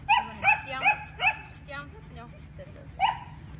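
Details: Female German Shepherd, three years old, brought in for leash and socialization training, gives four quick rising whines in a row, then a pause and one more whine, with people talking nearby.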